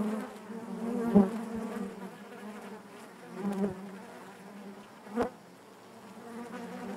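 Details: Inside a honey bee hive, a continuous low droning buzz of many bees, broken by three brief louder surges around single bees moving near, each with a faint click.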